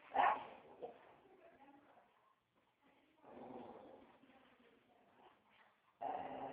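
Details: Joey the dog sounding off with one sharp bark at the start, then softer muffled vocal noise and a rough, sustained growling bark near the end.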